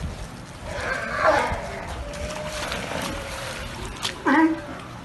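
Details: Galapagos sea lions on a hijacked barge give deep, throaty burp-like grunts over a steady wash of background noise.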